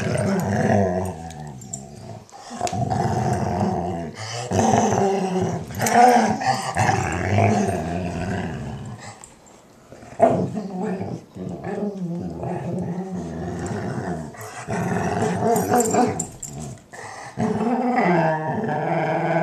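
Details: German Shorthaired Pointer Sadie makes contented noises as Weimaraner Roxie cleans her ear. She keeps up a varied stream of wavering moans and growly grumbles that rise and fall in pitch, broken by brief pauses.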